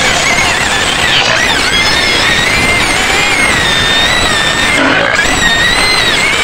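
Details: Penned white pigs outside Medan shrieking together: a steady wall of piercing squeals with wavering high tones, several voices overlapping throughout without pause.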